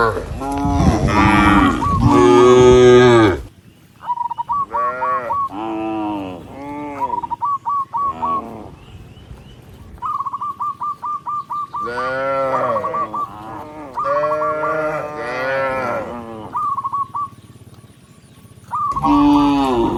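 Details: Tens of tame cattle walking along a rice field road, mooing often: long, deep, wavering moos overlap one another, with short pauses filled by a bird's rapid repeated chirping series.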